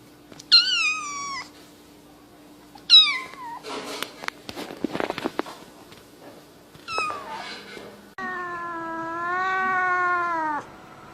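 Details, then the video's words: Angry domestic cat giving loud, harmonic meows that slide downward, then a long steady wavering wail at the end, with a burst of scratchy clattering noise between calls. "Weird Cat Sounds!"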